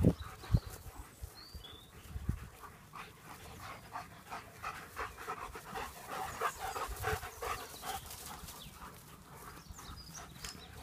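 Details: German Shepherds at play, one panting in quick, airy breaths about twice a second, rough and uneven, with a few sharp thumps and knocks near the start.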